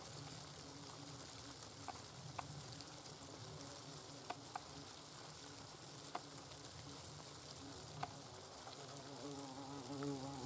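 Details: Several hornets in the nest give a quiet, continuous buzzing drone, broken by sharp ticks and scratches every couple of seconds, with a brief louder whirr at the very end.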